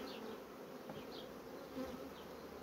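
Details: Honey bee colonies quickly drawing out comb foundation sheets: a steady, dense hum of many bees fills the low-middle range, with faint, brief high chirps from birds in the background.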